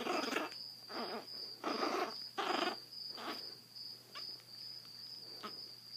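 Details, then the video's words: Zada, a blind rescued Chihuahua puppy aged seven weeks with severe hydrocephalus, in Fort Worth, Texas, gives a series of breathy rasping growls about once a second, fading toward the end with a constant high tone in the background. "Grumpy Chihuahua w/ Hydrocephalus"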